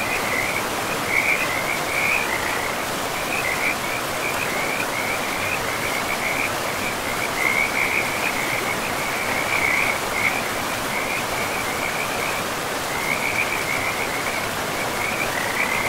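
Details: Forest river with frogs calling: a sustained high, pulsing trill of many frogs runs almost unbroken through the clip, briefly thinning near the end, over steady rushing water.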